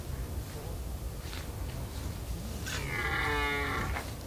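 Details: Red deer stag on a rutting field in the Veluwe during the rut, on a fairly quiet day. After background rumble, a single harmonic, drawn-out bellow rises near the end and lasts just over a second.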